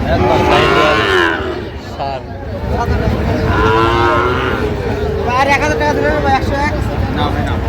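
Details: Sahiwal bull calf at Raniganj cattle market in Chittagong, Bangladesh, on 6 October 2025: drawn-out lowing moos with stacked harmonics, two or three calls amid men's bargaining chatter and market bustle.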